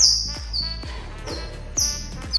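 A cheetah cub gives high, bird-like chirps that slide downward, over soft background music.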